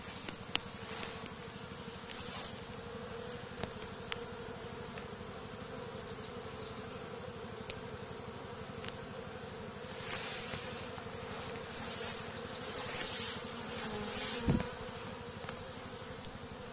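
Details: Honey bee swarm on a tree being gathered into a Dadant movable-frame nuc hive, recorded on a Samsung Galaxy Note: a dense, steady droning hum, with louder passing buzzes of single bees swelling briefly several times.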